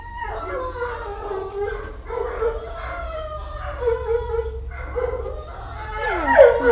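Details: Roxy's pups, a pile of big puppies in kennel 621, whine and yelp together in long wavering cries, overlapping and rising at the end, with a person talking softly to them.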